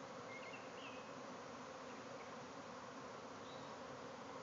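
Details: Bees swarming out of a hive in a backyard, thousands flying everywhere. Steady, slightly quieter buzzing drone with only a couple of faint chirps in the background.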